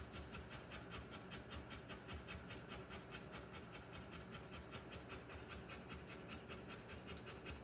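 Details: Heavy, regular panting from a Rottweiler during the live birth of her puppies: fast airy breaths, a little slower than two per second, over a low background rumble.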